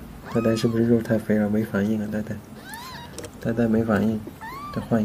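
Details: Small pet cats being scratched indoors and rolling over in response; a few short, arching meows rise and fall among a woman's constant chatter.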